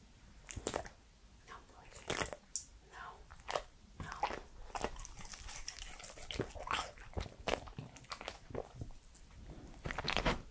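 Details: Three-year-old Pembroke Welsh Corgi Edmundo chewing and crunching food indoors during his first ASMR session; sharp broadband bites and crunches every second or so, uneven in strength, against a quiet room.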